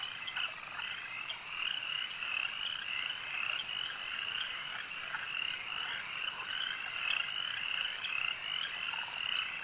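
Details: Frogs calling at a lake in a dense, continuous chorus of overlapping high trilling croaks that pulse steadily without pause.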